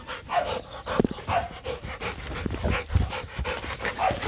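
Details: Rottweilers Nano and Nina, two young dogs kept as breeding stock at Rottweiler Gervi kennel, playing with their owner; rough breathy bursts come in quick succession, with soft voices and handling noises around them.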